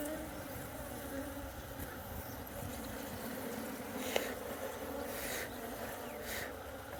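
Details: Honeybees at a nest dug out from underground, their honey being harvested: a steady, low droning hum with layered tones, faint hiss above, and a sharp click near the middle.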